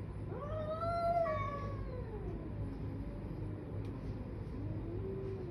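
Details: Cats in a fight: one long harmonic yowl rising to a peak, then sinking into a low, wavering moan that swells upward again near the end, with constant low-pitched background hum throughout.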